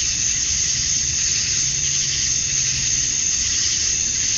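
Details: Cicadas at dusk on a summer night in Georgia, USA, males chirping to draw females. A steady, intense high-pitched whirring fills the air without break, and a faint low hum runs beneath it.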